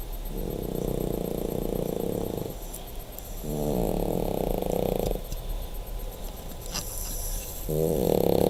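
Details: A dog snores in long, droning, buzzy breaths, each lasting about two seconds, with short pauses between. The rasping tone stays steady and low over a constant background hiss.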